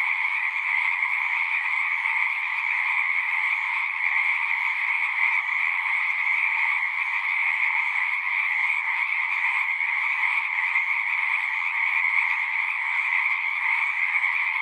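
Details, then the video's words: Chorus of frogs at the pond in a horse pasture, recorded with a Zoom 6; a thick, unchanging trill from countless callers runs without pause throughout, nothing else audible. "Frogs singing"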